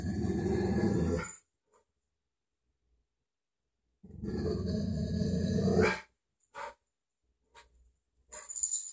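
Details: Indoor pet dog reacting to a dog on TV with long, low, rough growling bouts that break into barks. Short clicks and knocks follow.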